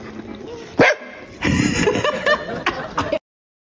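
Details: Pet corgi vocalizing on cue to ask its owner for a ham sausage: one sharp yip, then a longer run of whiny, talk-like yelps and grumbles lasting about two seconds, with indoor room tone.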